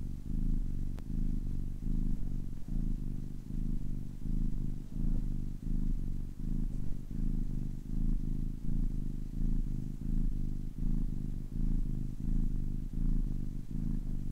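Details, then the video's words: Purring of a 10-week-old kitten: deep, buzzing low rumble in regular breath-linked pulses, about 80 per minute, steady and close throughout with a quiet background. "10 weeks old kitten purring for 10 minutes"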